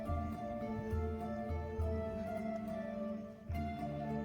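Soft instrumental music with sustained tones and a low pulsing beat; no animal sounds are heard.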